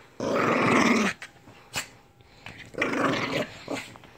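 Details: Lhasa Apso named Lily in a small indoor room, giving two harsh snarling growls about a second long each, separated by a quiet gap with a faint click.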